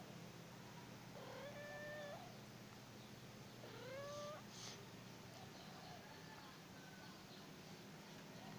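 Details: Cat outdoors with two kittens, enjoying time outside, gives two drawn-out tonal meows about two seconds apart, each sliding up then holding level, followed by fainter softer mews, over a steady low hum and background noise.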